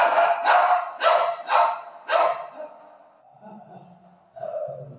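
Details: Pet Golden Retriever playfully being given makeup at home, giving five sharp, harmonic-rich barks in quick succession over about two seconds, followed by softer, low, muffled sounds and a brief voice near the end.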